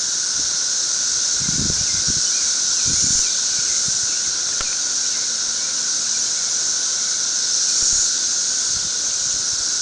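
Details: Periodical cicadas of a thirteen-year brood swarming a tree in massive numbers, filling the air with an unbroken shrill buzzing drone, a constant high hum with a lower steady tone beneath and a few faint thumps.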